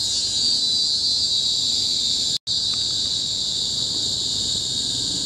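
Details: Tropical forest cicadas on Bukit Timah Hill, Singapore, recorded in 2017, produce an unbroken high-pitched shrilling drone, interrupted only by a momentary total dropout near the middle.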